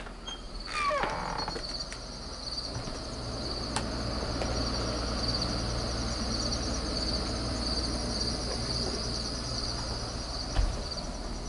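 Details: Crickets chirping outdoors in late summer, a steady high thin trill running throughout beneath low rumbling background noise, with a few knocks and brief clatters.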